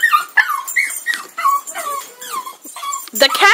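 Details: A puppy, a pug in a yard, reacting to a cat it dislikes; high whining yelps sliding down in pitch, repeated in quick bursts, mixed with a woman talking, ending in a louder yelp.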